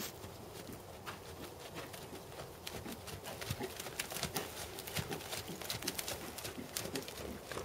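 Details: Tobias, a big black seven-year-old Percheron/Thoroughbred gelding, schooled at 2nd Level dressage. Soft, irregular hoof thuds recur roughly every second over a steady background hiss, with faint voices.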